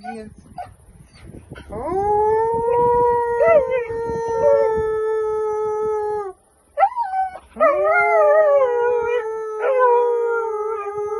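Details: Pet dog singing along with people in a duet: long, steady, tonal howls held for several seconds, slightly rising at the start, broken by a short pause, with faint human voices in the background.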